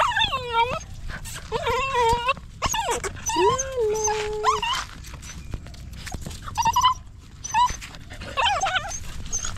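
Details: Stray puppy crying for help while held in someone's arms: a run of high, wavering whimpers and yelps, some sliding down in pitch, one held longer, coming in quick bursts with short pauses between and light handling noise.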